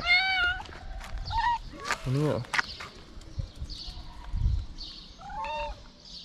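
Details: Stray cats in Morocco, hungry and wanting food, mewing repeatedly in short harmonic meows, some rising and falling, mixed with a man's Arabic speech and street sounds.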